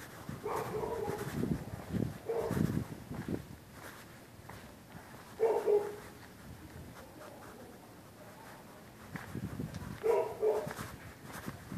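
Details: Neighbours' dogs barking through the night whenever anybody uses the public sidewalk on either side of the street; short, somewhat distant barks in bursts every three to five seconds over steady low rumbling background noise.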